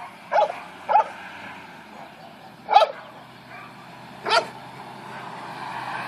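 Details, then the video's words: Dogs barking at Capy, a Newfoundland dog who stays calm: four sharp, short barks at uneven gaps, two close together, then two spaced farther apart, over a low steady background hum. "Capy vs Barking Dogs"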